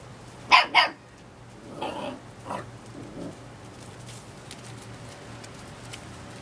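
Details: Pet puppy, seven weeks old, lets out two loud, high yaps in quick succession, followed by softer, trailing whines and a low grumble fading into quiet.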